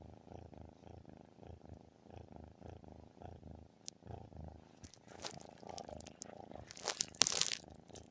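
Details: Domestic cat giving an unusually loud purr that almost sounds like snoring: a steady, deep, pulsing rumble for about five seconds, then crinkling and rustling noises with sharp crackles near the end.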